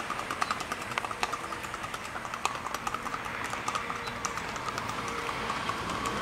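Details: Colombian Paso Fino horses from Casanare, Cortezano de La Virina FC and Tintoreta de Casanare: quieter, uneven hoof taps, scattered crisp clicks over a steady hiss of background noise.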